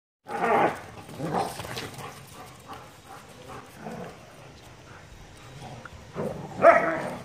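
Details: A German Shepherd Dog named Sheru meeting his puppy for the first time: a loud bark at the start, then a run of softer, uneven barks and yelps, ending with another sharp, loud bark.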